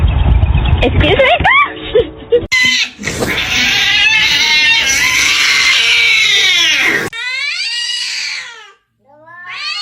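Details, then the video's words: Kitten meowing and crying loudly: drawn-out, wavering wails rich in bright harmonics run together for several seconds, then after a short break come two separate arching meows, rising then falling in pitch. "kitten meowing crying"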